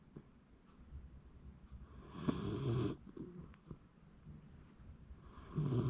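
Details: ['Sleeping Shiba Inu recorded January 2024; after faint rustles, a gravelly snore swells for under a second, then another starts near the end.']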